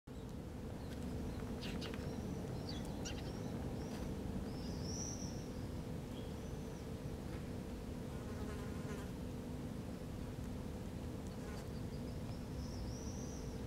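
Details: Wasp scavenging on a feral European rabbit carcass in Helsinki, Finland, July 2013; a steady low droning buzz runs throughout while small birds chirp and whistle high above.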